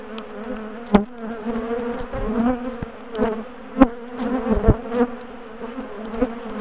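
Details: Bees of a large top bar hive colony, split and moved after ambushing their owners, hum in a thick steady drone with wavering tones; sharp taps and thuds of equipment punctuate it.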